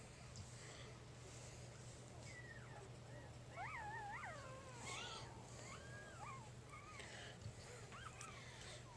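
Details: Three-day-old puppy from Jig's litter whimpering: thin, squeaky whines that rise and fall in wavering arcs, clustered from about the fourth to seventh second, with a few shorter squeaks after, over a steady low electrical hum.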